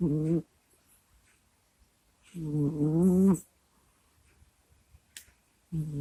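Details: Pet cat Kusya asleep, groaning and snoring into a microphone indoors: drawn-out buzzy moans about a second long separated by quiet pauses of two seconds or more, each with a wavering, throaty tone.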